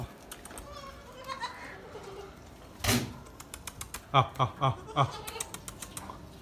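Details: Newborn Gulabi goat kids at a farm; a thin wavering bleat early on, then a loud thump and a run of sharp rhythmic knocks, with voices faintly present.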